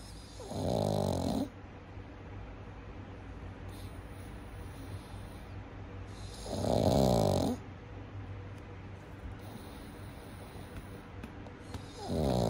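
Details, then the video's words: A baby pug napping contentedly, snoring in slow cycles: three loud, rough rasping snorts spaced about five to six seconds apart, with quiet breathing between them. "Baby PUG巴哥犬睡午覺！好幸福打鼾中！"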